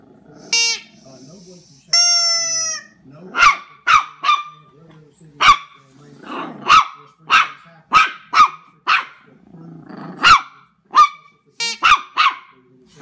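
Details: Young Jack Russell terrier Knuckles squares off against an oversized gummy bear. Two high-pitched whines open, followed by a long string of quick, shrill yapping barks, sometimes doubled, about one per second.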